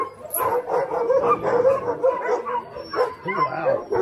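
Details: A pack of Alaskan Huskies, sled dogs at Snowhook Adventures, Willow, Alaska, keep up steady overlapping barks and yips, a busy kennel din with occasional higher whines above it.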